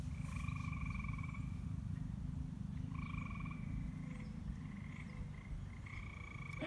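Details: White and green frogs occupying an abandoned, dirty swimming pool, noted as very loud at dusk: buzzy pulsed trills about a second long, repeated several times over steady low background hum.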